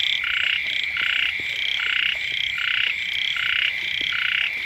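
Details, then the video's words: Brief stretch of a loud frog chorus near a house when the rains first come: bold rasping croaks about twice a second, overlapping, over a persistent shrill background tone. "เสียง กบ เขียด ร้อง อยู่แคมบ้าน"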